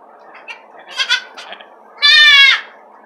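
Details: Domestic goat during a late Tuesday evening kidding with a complication, delivering three kids; a few short harmonic bleat fragments near one second, then a loud strained half-second bleat, with indoor background hiss.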